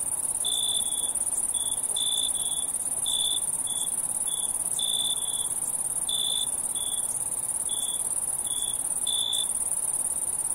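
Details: Crickets at night: high, pure chirps in short bursts, several per second in uneven groups, over a constant shrill insect whine even higher up and faint background hiss.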